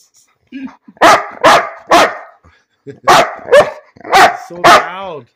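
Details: Pet dog named Bean barking for no apparent reason indoors: loud broadband barks in pairs and clusters, roughly two per second, some ending in rising and falling whine-like tones, with a person speaking to the dog between bursts.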